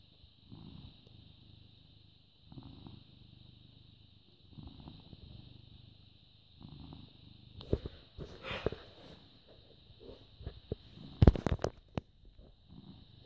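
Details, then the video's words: British Shorthair cat, born August 2010, recorded on 14 May 2017 at 09:16, purring: low rumbling bursts about every two seconds for the first seven seconds, then rustling, handling noises and sharp thumps over continued purring. "British Shorthair Cat purring"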